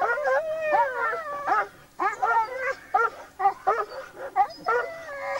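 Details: During a wild boar hunt with Laikas and a labrador, hunting dogs bark in rapid, high, tonal yelps, some stretched into brief howls, coming in uneven clusters with short pauses.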